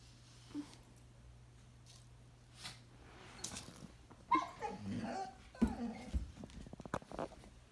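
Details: A 10-month-old male Boxer-Labrador mix puppy, on 16 January 2021, lets out a burst of throaty grumbles, whines and yips after a quiet start, barking at a 5-year-old Cairn Terrier-Schnauzer mix during play.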